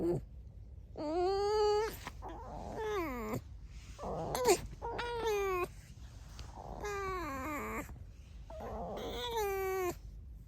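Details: Pet red fox squeaking indoors, with no talking; a series of about five wavering, whiny harmonic squeaks, each around a second long, rising and falling in pitch, separated by short pauses.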